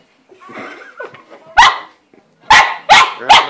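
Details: Pet dog barking at the household cat hiding in her play house, the cat occasionally batting a paw at him; several sharp loud barks in quick succession after a person's scolding voice.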